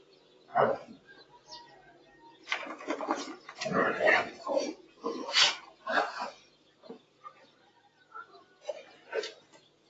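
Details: Playing Boerboel pair (South African Mastiff), Enzo and Diva, in Egypt: a dense run of gruff, breathy growl-grunts and snorts packed into the middle seconds, framed by isolated single huffs at the start and end.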